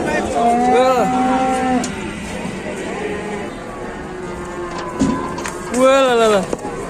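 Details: Enraged cow from Indonesian livestock keeping: a long, loud harmonic moo lasting nearly two seconds, a quieter low lowing, then a shorter rising-and-falling bellow near the end, with faint human voices behind.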